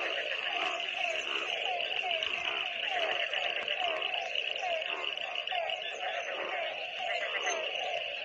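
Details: Frogs calling in the rain, forming a dense, unbroken chorus: many short, repeated mid-pitched croaks overlap beneath a steady, shrill high-pitched drone, with no pause across the recording.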